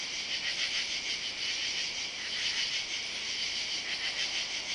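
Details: Summer-night katydids, Saturday July 31, singing in oak trees along a side yard; shrill, continuous buzzing chorus with repeated raspy beats about once per second.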